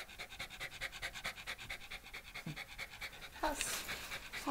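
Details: Shiba Inu dog at home during a pet sitter's visit, Shizuoka, Japan, 30 September 2018, panting in fast, steady, breathy pulses, with a woman's voice briefly speaking near the end.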